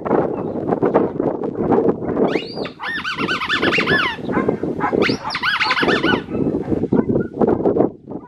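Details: Black tri male Australian Shepherd puppy from Matilda's litter at an Oklahoma breeding farm gives two bursts of wavering, high-pitched whines midway through, set against steady rustling and handling noise.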